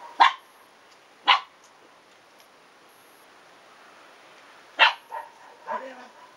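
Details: Shiba Inu puppies, 109 days old, three male siblings playing at home with a visiting seven-month-old female Shiba; sharp high yips come in three bursts with long pauses between, followed by softer whines, with a person talking nearby.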